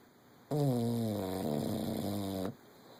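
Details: English Bulldog Levi asleep during a nap: one drawn-out snore lasting about two seconds, a low, droning, buzzy tone that wavers slightly halfway through, then quiet room hiss.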